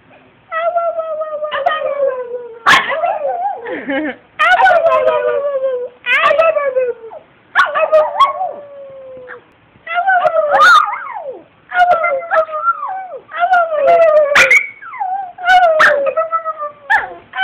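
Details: Two-year-old female Brussels Griffon named Addy howling at home after being given a few high-pitched howls. She answers with long, wavering, falling harmonic howls broken by sharp yips, in repeated bursts every second or two.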